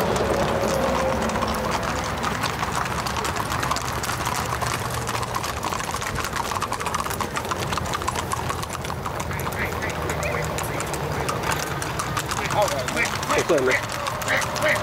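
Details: A 2021 trail ride in New Boston, Northeast Texas: Tennessee Walking Horses carrying riders, their hooves clattering in a quick, irregular stream while riders chat and a faint engine hum drifts in.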